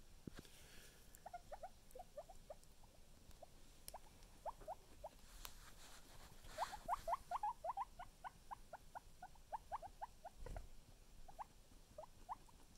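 A guinea pig gives soft, quick squeaks in uneven runs, several notes a second, with light rustling.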